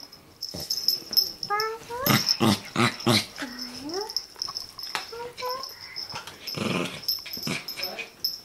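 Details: Chihuahua puppy play-fighting with another chihuahua: rough growls mixed with thin rising whines and yips, loud bursts around the middle, with a steady high electronic tone and some human voices behind.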